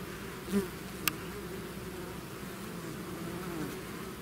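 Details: Swarm of bees outside the hive producing a constant massed hum, one bee buzzing past close early on and a brief click just after.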